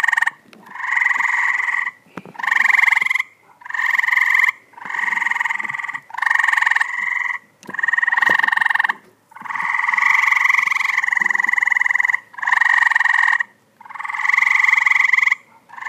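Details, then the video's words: Tree frogs returned to a pool in 2014, producing a long run of harsh, pulsed nasal calls, the bursts following each other rapidly with very short gaps, several frogs overlapping at times. "Tree Frogs in Pool 2014"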